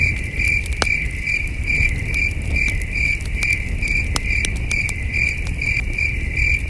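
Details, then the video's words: Crickets chirp in the night air at a campsite with a glowing campfire: a bright, pulsed chirp repeated steadily a few times per second, overlaid with crisp crackling from the fire and a low rumbling bed. "Camping Under a Million Stars with Soothing Cricket Sounds"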